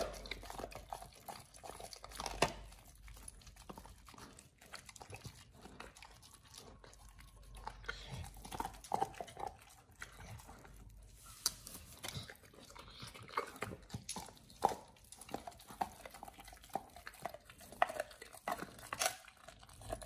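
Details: A Pit Bull named Oliang gnaws a raw ostrich paw for the first time indoors. Steady crunching and biting clicks run through twenty seconds, with louder snaps at irregular moments over a low room hum.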